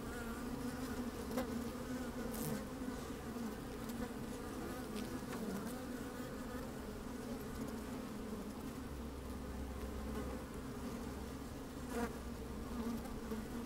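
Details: Honey bees busy at work in an open hive, recorded by a microphone lowered into the colony on a sunny day: an even, deep drone throughout, broken by a few sharp clicks and brief louder buzzes.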